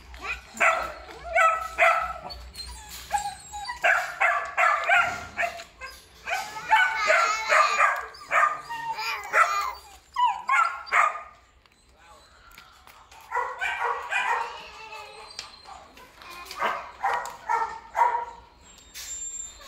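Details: Belgian Malinois dogs with black and red-black coats barking in clustered bursts, pauses between volleys, and human voices talking in the background.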